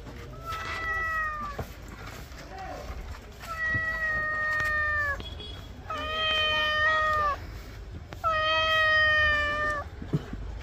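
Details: Domestic cat meowing during a bath at home, four long drawn-out harmonic meows, each steady and slightly falling at the end, spaced about two seconds apart, with faint splashing and handling noises between them.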